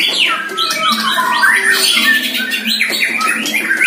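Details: Caged one-year-old White-rumped shama in its first training session against a neighbour's shama, singing loud, varied squawky phrases with rising and falling notes and harsh bursts, continuous throughout.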